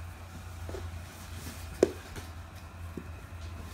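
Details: Steady indoor hum with soft clicks and one sharp tap midway, and no animal voice is heard.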